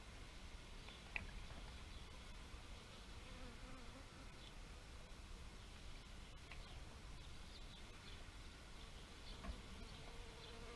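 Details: Bees humming in a steady low drone, with a louder buzz sweeping past around the first to fourth seconds and again near the end, plus faint high chirps scattered throughout.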